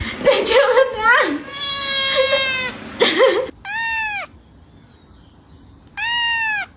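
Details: Pet cat crying. After several seconds of a person talking, two short, clear, arched cries follow, each rising then falling, about two seconds apart, in a quiet room.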